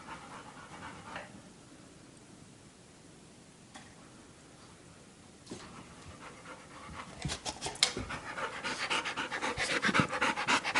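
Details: Blu, a three-month-old Labrador Retriever puppy, playing after seeing his reflection in a mirror for the first time, with his aunt Maya; quiet at first, then quick breathy panting bursts, about four per second, grow louder over the last four seconds.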